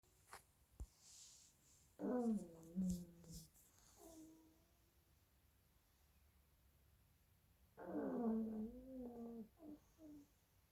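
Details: Two pug puppies sleeping and snoring loudly indoors: two drawn-out, buzzy, rasping snores, each about 1.5 seconds long with a wavering low pitch, plus fainter snorts in between.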